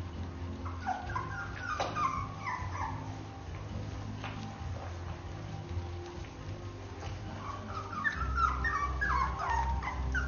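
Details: Basenji puppies three weeks old whimper and yip in high, wavering squeals over a low steady hum.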